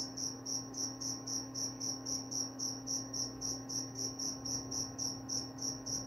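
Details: Cricket calling in regular bursts, about three and a half high trilled chirps every second, steady and unbroken, with a low constant hum in the background.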